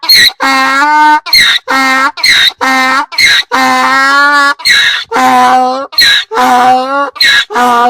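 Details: Braying donkey, loud and close: long, strongly tonal, brassy honks alternate with short rasping breaths in an uneven seesaw, repeated several times across the clip.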